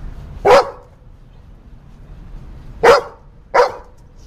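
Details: Black Labrador Retriever barking after being bathed, three short, forceful barks, the first alone, then a pair close together after a two-second pause, in a quiet room.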